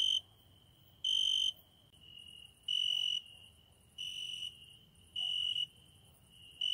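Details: A cricket sings at night beside a window. Loud, shrill bursts of about half a second come roughly every one and a half seconds, and a softer, steady trill continues in the gaps between them.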